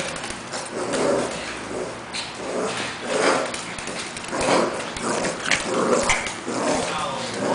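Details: Pekingese Cash tussles playfully with Lebron, a two-month-old English Bulldog pup; throaty growls rise and fall in repeated bursts roughly every second, with rustling of the scuffle throughout.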